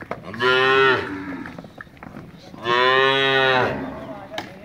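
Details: Pure Cholistani white bull at a cattle farm in Sargodha district, Pakistan: two loud, drawn-out moos about two seconds apart, each roughly one second long with a rich, slightly falling tone, plus faint clicks and background noise.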